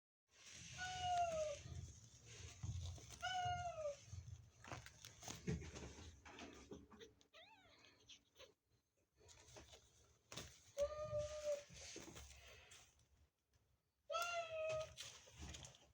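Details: Mother cat, frightened and protecting her kitten, gives four drawn-out, slightly falling meows spaced several seconds apart, with low background hum, rustling and soft clicks between calls.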